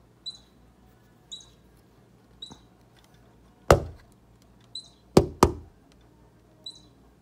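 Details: Baby squirrel squeaking close to Bushy, an orange cat, whose tail twitches along. Short, thin, high squeaks repeat roughly once a second, with several loud knocks and thumps in between.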